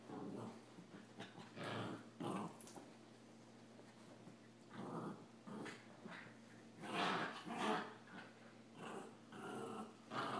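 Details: Two puppies, Samoyed Adam and a Rat Terrier, play fighting: harsh, noisy growls and snarls in repeated rough bursts roughly every second, louder toward the end, with scuffling and a low background hum.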